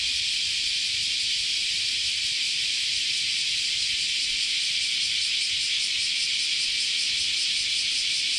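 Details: Japanese summer cicadas chorusing without pause at Chionji Temple, Kyoto: an intense high buzzing hiss with a slight pulsing texture toward the end, and no other distinct sounds.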